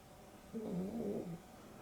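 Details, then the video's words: Asleep in the afternoon, pet dog Dexter, napping with Rio (a Boston Terrier and Beagle cross), gives a single short snore, a humming, slightly whistling breath that wavers up and down before fading. "Boston Terrier and Beagle X (Dexter and Rio) snoring"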